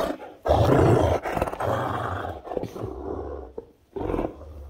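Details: Great Danes Rhapsody and Wächter at play in the morning. Deep, rough growling runs almost without a break for several seconds, then stops before a final short rumbling burst.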